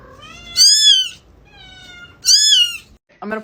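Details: Pet cat meowing twice, each a high, clear, drawn-out cry that arches up then down, about a second apart, with a quieter tonal sound between them and a short muffled noise at the end.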